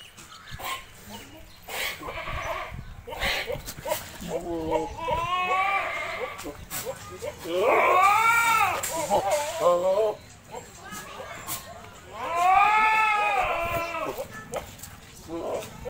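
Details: Goat at a goat farm offered for sale: three long, wavering bleats with rich harmonics, each a few seconds long, mixed with people talking and background clatter.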